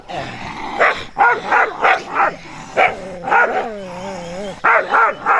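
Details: Dogs barking at a stranger while running: rapid, irregular bursts of sharp barks, several overlapping, with a drawn-out wavering whine or howl in the middle and more barks at the end.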